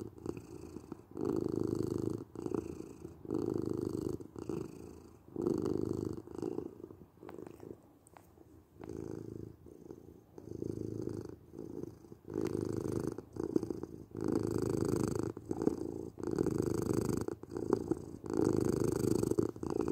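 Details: Low rhythmic purring from a domestic cat, calming sound for sleep, with repeated rumbling swells about once per second that ease into a quieter, fainter stretch midway before building steadily again.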